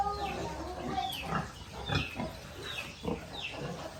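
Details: Little piglets on a rural pig farm: several short high squeals sliding downward, mixed with low grunts, overlapping at an irregular pace above a steady farm hum.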